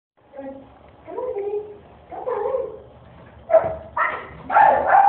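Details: Deaf miniature Australian Shepherd vocalising: a few drawn-out whining, yelping tones early on, followed by three short, sharp bark bursts in quick succession near the end, with faint background murmur.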